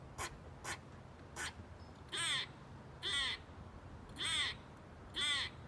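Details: A squirrel in Bonney Lake, Washington, recorded in 2019, gives a few sharp chucks, then harsh, drawn-out rasping calls repeated about once a second.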